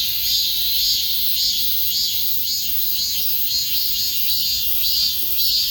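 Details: A cicada drones in a loud, high, hissing buzz that swells and fades in rhythmic pulses roughly twice a second, like a fast pulsing rasp over a constant whine.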